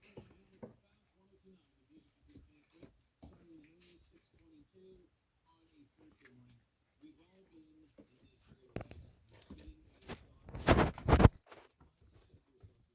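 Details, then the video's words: Four-week-old Irish Wolfhound puppies just after a feeding, July 13, 2023, indoors: soft, wavering whines and grumbles repeat through the first eight seconds, then loud scuffling and patter bursts near the end. "Four week old Irish Wolfhound puppies just after a feeding."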